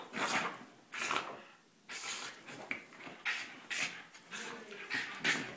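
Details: Max, a Cairn Terrier, frisky after his bath indoors, giving loud breathy snorts and pants in irregular bursts roughly every second, with short quiet gaps between them and a faint rubbing noise.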